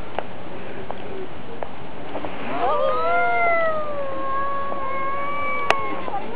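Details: A cat in a cat-versus-cat fight. After a quiet start, a sustained, gently wavering yowl builds and is held to the end, with a single sharp click.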